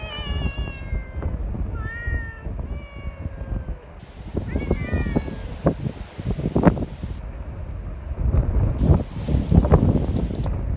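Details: Sociable community cats gathering despite strong wind, eager for petting; a run of short meows in the first half, including a rising chirp-like one, then mostly wind roar and rustling.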